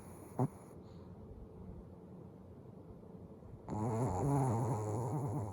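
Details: Eyes-open sleeping dog: a quiet lull with one sharp click, then a loud, vibrating, low-pitched snore that wobbles up and down for nearly two seconds.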